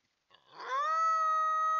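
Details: Coyote in the woods at night, caught by a trail camera: a howl starts with a rough, noisy onset and swells into a steady, sustained pure tone held for over a second.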